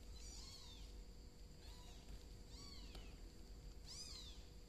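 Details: ['Four short, high, arched meows spaced about a second apart, as golden cat Sam watches a bicolor kitten crawl indoors; faint steady hum beneath.']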